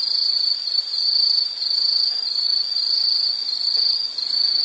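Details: Insect sound for relaxation or sleep, a loud high-pitched pulsing trill running continuously with small waves in volume, over light background hiss.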